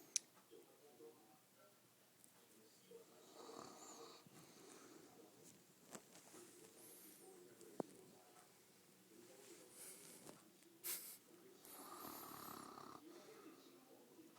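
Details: Sleeping Mastiff giving soft, wheezy snores, breathy rasping pulses that grow stronger near four seconds and again near twelve seconds, over a low quiet background with scattered small clicks.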